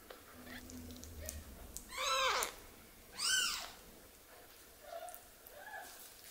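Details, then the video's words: Orphaned baby kitten, one of two that lost their mother and are being hand-raised indoors, gives two loud arched cries rising then falling, with a few softer whimpers afterward against low room hiss. "Cry Of A Baby Kitten"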